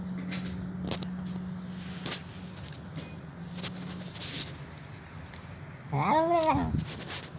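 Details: Hungry old stray cat that turned up at a door asking for food, crying while eating. Soft clicks and shuffling lead to one loud, rising-falling meow near the end, over a faint steady hum.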